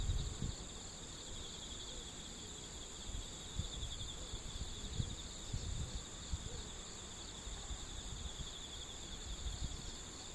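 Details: A steady morning chorus of singing insects, recorded 11 September 2013, unbroken high buzzing trills layered at several pitches.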